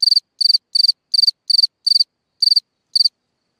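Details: Night song of a cricket in a hole in the ground: eight shrill chirps of three to four fast pulses each, evenly spaced at first, then with longer gaps before the last two, ending in silence.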